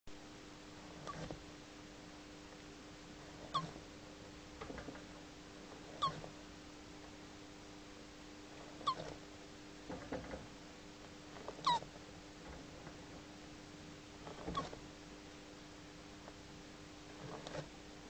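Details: Young Hermann's tortoises, Testudo hermanni hermanni, almost two years old, kept in a box: brief squeaky chirps with soft knocks, repeated roughly every two and a half seconds over a steady low electrical hum.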